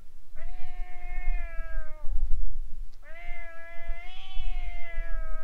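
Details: Stray cats squaring off in front of a boat, starting a fight: two long, drawn-out harmonic yowls, each about 1.5 to 2.5 seconds, steady then sagging in pitch, over constant low rumbling background noise.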